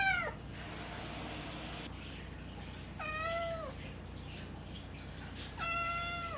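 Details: Pet cat Naru, recovered from FIP, with a voice changing as it grows, gives three harmonic meows; the last two are longer and arch down, about two and a half seconds apart, over a low steady indoor hum.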